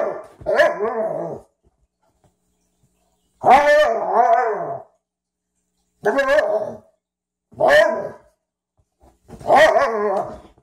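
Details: Ziah and Jacque, a Frenchton and a Rhodesian ridgeback, in their first play together; spaced, gruff barks and short rough growl-barks come every couple of seconds against an otherwise quiet background.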